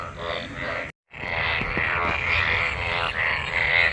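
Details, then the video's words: Frogs mating in pooled monsoon rainwater; a thick chorus of rasping, pulsed croaks with higher bright tones, interrupted by a short break before resuming louder. "Frog Sounds after monsoon rain,Sounds of toad Croak croak"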